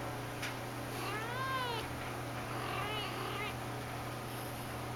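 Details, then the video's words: Golden Persian cat, mother of a litter, frantic with a catnip banana as her kittens and other cats rest nearby; two drawn-out arched meows near 1.5 and 3 seconds against a constant electrical hum. "Persian cat"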